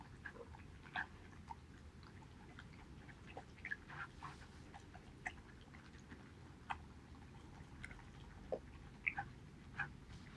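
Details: Male Border Collie named Haedeun eating pollack soup, recorded 2018.08.19; sparse, irregular sharp clicks, smacks and wet mouth noises scattered over a quiet indoor background.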